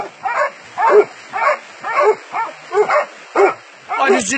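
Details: Dogs catching a wild boar: harsh barks repeated about every half second, some doubled, with a person shouting at the end.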